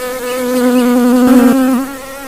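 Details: Bee at flowers gathering nectar, recorded on a phone: a close, loud, steady drone that swells and wavers in pitch midway, then fades slightly as the insect moves off.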